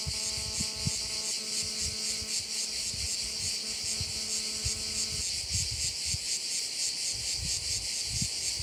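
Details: A bright, pulsing cricket chorus over a bay on Korčula, Croatia. For the first five seconds a low, steady, droning tone runs beneath it, alongside soft knocks and thumps.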